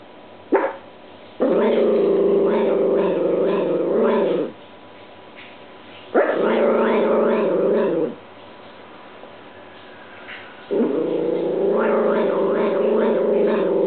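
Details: Pet dog Apollo growl-barks at a washing machine running an unfamiliar dry cycle. A short yap is followed by three long, rough, harmonic growling barks, each two to three seconds, separated by pauses over steady mechanical hum.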